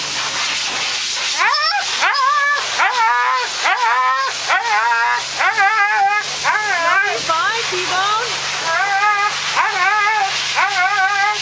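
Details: Siberian Husky named Thunder crying and howling while being groomed, a long run of wavering yowls and yips roughly once per second, each bending up then sliding down, with a constant blower-like hiss behind.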